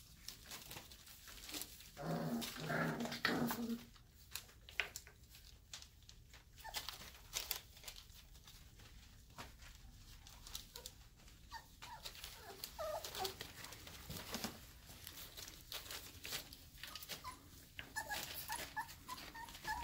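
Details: Nine purebred Airedale Terrier puppies, two days short of five weeks old, playing together indoors after their breakfast; a burst of rough growly yapping around two to four seconds, then scattered soft squeaks, yips and scuffling through the rest.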